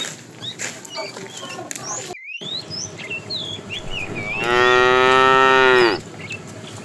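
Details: Tame cows walking as a herd to fresh pasture; bird chirps and whistles fill the first half, then one sustained, steady, harmonic moo lasting about a second and a half.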